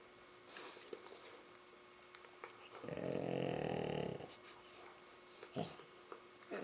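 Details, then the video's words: Labrador Retriever playing with a Rottweiler puppy: one rough, pulsing growl-grumble lasting just over a second, mid-pitched and steady, framed by quiet scuffles and soft shuffling. "the funny noises the Labradors making while playing with our Rottie puppy"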